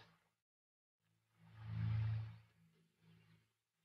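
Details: Lion giving a single deep roar that swells up over about a second and then fades, with a softer low rumble trailing after it.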